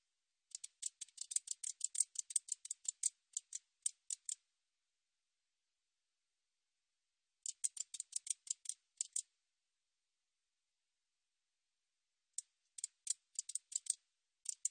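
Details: Katydid call in three bouts of fast, harsh, high-pitched ticking pulses, each bout lasting one to four seconds and separated by several seconds of silence; no other sounds are present.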